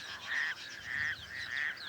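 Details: Raucous toads in the shallows of a small dam near Cape Town, a calling male among many breeding couples: three harsh rasping croaks, each about a quarter second long, with softer overlapping calls from other toads.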